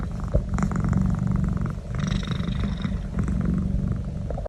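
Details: Pet domestic cat making noise while receiving a neck massage: a steady, low rumbling purr that pulses throughout, with faint rustling and handling sounds over the top.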